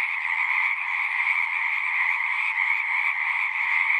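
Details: Frogs singing together at a pond in a horse pasture, captured on a Zoom recorder: a dense, unbroken chorus of high trilling calls in two bright bands, steady in loudness for the whole stretch, with no other sounds.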